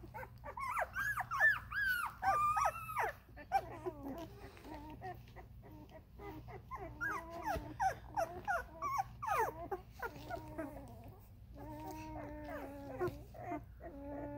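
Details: Vizsla puppies at thirteen days old, a litter from a dog named Ruby, giving high, wavering whines and squeals that rise and fall in quick overlapping bursts, several pups calling at once with a low steady hum behind.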